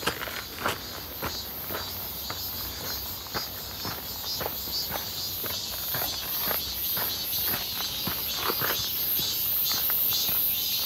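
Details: On a hot, clear 1 August 2023 walk near Seonbawi, cicadas keep up an unbroken, shrill metallic drone that grows gradually louder toward the end, punctuated by regular crunching steps.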